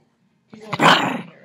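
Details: A female Chihuahua guarding her squeaky football, protective of her toys, gives a short, harsh snarl that swells and fades over about a second after a brief silence.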